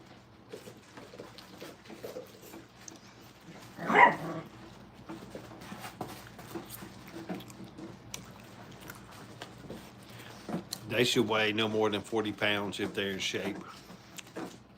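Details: Brittany puppies in crate and tunnel training at a kennel, indoors: a short sharp yelp near four seconds, then a cluster of high, harmonic whining cries, wavering up and down for several seconds against quiet room noise.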